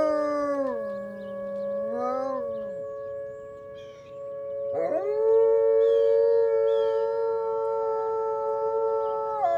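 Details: A chorus of howling wolves on a wintry morning deck after snow. One voice drops lower and fades near three seconds, then a fresh howl slides sharply up and sustains to the end, with another steady voice underneath.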